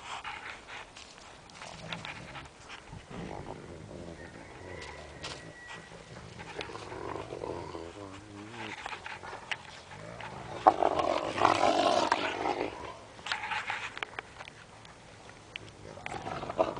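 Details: Alaskan tundra wolf giving low rough growls and snarling sounds, rising to a louder harsh harmonic outburst near the end, with scattered clicks and background noise throughout.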